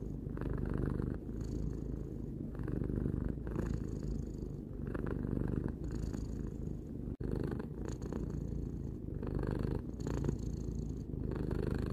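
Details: Tarou, a three-year-old pet cat, purring indoors; a steady low rumble rises and falls in long breath cycles of about two seconds, with one brief break near the middle.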